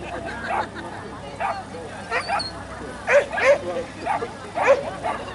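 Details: Bleau, a Standard Poodle competing in JKC Agility Games on 14 March 2015, gives short sharp barks in uneven bursts, some doubled, over a steady murmur of background noise and voices.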